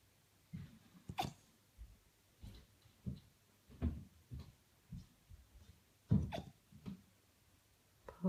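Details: Poppy, an 8-week-old female Golden Retriever puppy, has the hiccups indoors: brief, soft, low jolts, some with a sharp click, every second or so in an irregular rhythm over quiet room tone.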